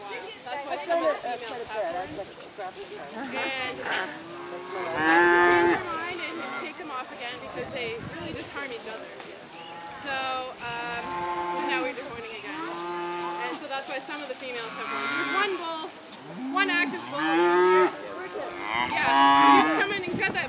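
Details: Dairy cattle let out on pasture for the first time in spring, running and jumping, moo over and over, with many overlapping drawn-out, wavering moos of varied pitch from several animals through the whole stretch.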